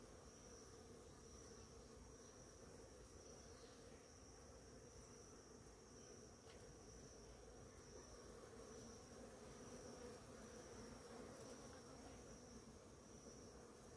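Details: Many bees feeding on a flowering ora-pro-nobis plant in the morning; a dense, continuous low buzzing hum from numerous bees with overlapping wingbeats, steady throughout, with a faint high whine above.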